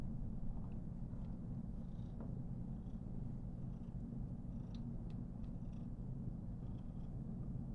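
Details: Female Somali cat, born November 2021, purring while being petted and stroked: steady deep low rumble throughout, unbroken for nearly eight seconds, with faint rustling of fur and light clicks above.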